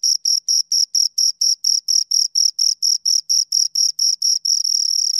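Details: Pair of crickets producing shrill, evenly spaced chirps about four each second, the pulses fusing into an unbroken trill at the very end; a quiet background otherwise.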